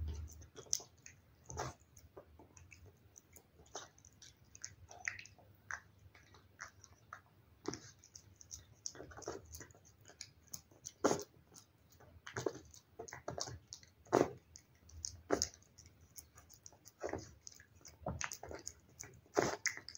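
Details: Indoor cat feeding on wet food, heard at close range: sparse sticky licks and sharp chewing clicks scattered irregularly, louder snaps recurring every second or so.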